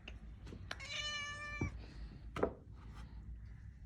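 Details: Kitten seeking to come indoors from the cold, afraid of the home's own cat; one long steady harmonic meow lasting about a second, followed by knocks and faint shuffling.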